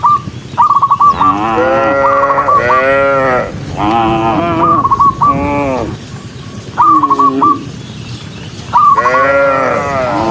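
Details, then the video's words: Cows in a large group running along a country road: loud, arching moos come in clusters, separated by quieter gaps, with short, high chirping note runs before several of them. "Dozens of cows running happily along the rural road with the sound of their mooing, cow Sound"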